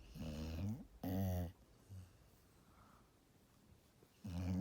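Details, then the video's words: A sleeping Golden Retriever, a large dog, snores in deep, throaty bursts, two close together at the start, a faint one in the middle, and another beginning near the end, with hushed quiet between. "ルナのいびき、その2 #ゴールデンレトリバー"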